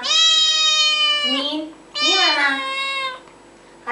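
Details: Two loud, long, rich meows from a cat, each about a second and a half, sliding down at the end, with a person speaking softly nearby; from a cats and kittens meowing compilation.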